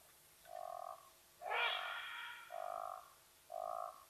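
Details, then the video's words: Side-striped jackal at Nkorho, in the unfenced Sabi Sands Reserve beside Kruger National Park, South Africa, alarm calling and giving away a leopardess's presence: three steady mid-pitched hooting notes, each about half a second, roughly one per second, with a harsher, louder burst between the first two. "Side Striped Jackal, giving away Watika the Leopardess's presence at Nkorho"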